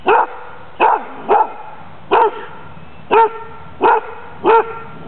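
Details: Female dog taking a Danish Kennel Club temperament test on April 14th 2007, described as friendly, playful and not aggressive; seven sharp, even barks spaced under a second apart.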